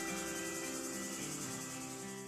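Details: Cicada; buzzing song; attracting mates or raising an alarm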